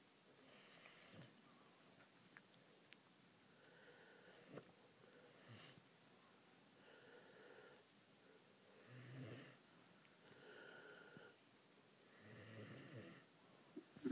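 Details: Tango, a pet Bull Mastiff, asleep and snoring, recorded December 6th 2009: soft, raspy, breathy snores with a hoarse buzz, rising and fading in slow cycles about every two to three seconds, quiet throughout with a few faint clicks.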